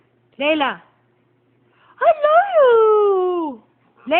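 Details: A blue- and brown-eyed Siberian Husky gives short, voice-like howls that rise and then slide down in pitch while a person repeatedly says "I love you".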